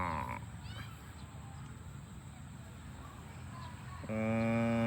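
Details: Farm cows heading home to the barn; a low hum of background noise, then a loud, even-pitched moo begins in the last second and is cut off at the end.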